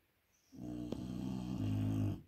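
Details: Dogue de Bordeaux puppy asleep, giving one sustained, low, droning snore with steady harmonic tone lasting about a second and a half, slightly louder toward its end.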